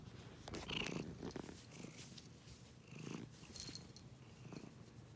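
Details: Cat purring in rhythmic breathy pulses, louder bursts near one and three seconds on each breath cycle, a low continuous rumble underneath, some light rustling.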